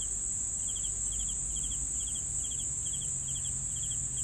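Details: Crickets chirp at night-style rhythm, two- to three-pulse chirps arriving about every half second, layered over an unbroken high-pitched insect hiss and soft low noise.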